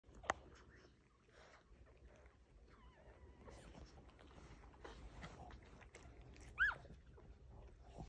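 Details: Two-day-old Blenheim Cavalier King Charles Spaniel puppies with their mother Robin: faint, thin, wavering squeaks and whimpers scattered through, with one sharp rising high squeal near the end, over a low room hum.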